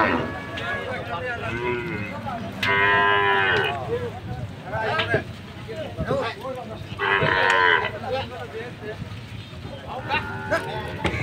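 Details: Cattle unloading for Qurbani Eid, Bangladesh: two strong, brief bellows about four seconds apart cut through a noisy background of people calling out, knocks and general commotion.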